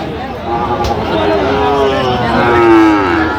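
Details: At Aftabganj cattle market on 16 August 2025, where Sahiwal bull calves are sold, one long moo falls gently in pitch, swelling toward its end against a background of talking buyers.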